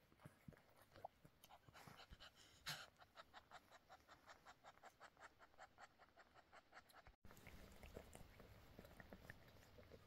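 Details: Domestic cat Snowflake in labour, giving birth to three kittens while the father cat Bonik waits nearby; fast, rhythmic breathy panting pulses, roughly three or four a second, briefly cut off after about seven seconds before resuming.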